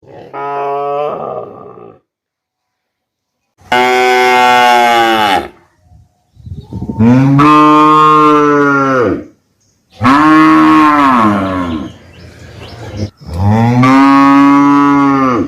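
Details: Large cow mooing loudly in a series of long, rich, harmonic moos, each about one to two seconds, separated by short pauses, after a brief quieter opening call; no other notable sounds.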